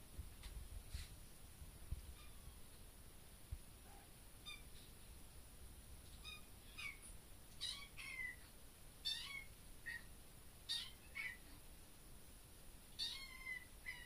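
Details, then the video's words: Baby kitten in a bedroom, thought to be meowing at a bug: scattered soft sounds at first, then a rapid run of high, thin meows, several per second toward the end, over faint room hiss. "Baby kitten meows"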